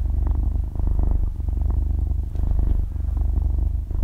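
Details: Six-month-old kitten purring in deep sleep at very close range: steady gravelly low rumble, breaths dipping roughly every 0.8 seconds, faint rustling, otherwise silent background.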